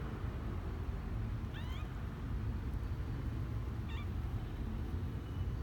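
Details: High, wavering mews from Misoka, a 12-day-old male kitten venturing out of his box for the first time, January 12, 2020. Two short cries about two seconds apart over constant low-pitched background hum.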